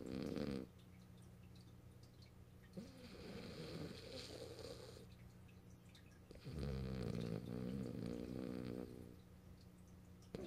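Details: French Bulldog named Morio snoring while asleep on a lap, having come to be held; deep, rough breathing snores in long stretches, louder bursts at the start and again midway, softer rasping between.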